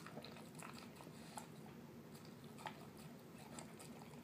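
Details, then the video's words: Terrier mix pet dog enjoying a dinner of canned food and kibble in a small room: soft, squelchy mouthfuls and faint smacking ticks repeat unevenly over a quiet background. "Dog eating yummy food"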